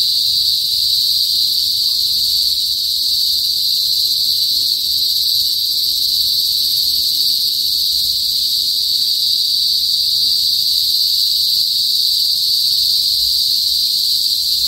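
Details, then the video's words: Philippine cicadas (kuliglig) in a province in the north of the Philippines, calling loudly before sunset; an unbroken, even, piercing high buzz holds steady throughout, with no other clear sounds. "TUNOG NG KULIGLIG SA PROBINSIYA | PHILIPPINES CICADAS NOISE"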